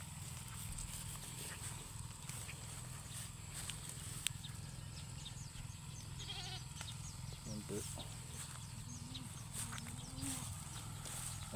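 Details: Domestic goats being fed: a short wavering bleat with stacked harmonics rises midway, followed by a fainter second one, over a steady low rumble of wind or machinery and faint human voices.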